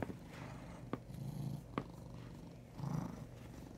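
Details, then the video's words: Chunky brown tabby house cat named Huey purring, a deep vibrating rumble that rises and falls softly, broken by two brief sharp clicks. "My Big Purring Tiger"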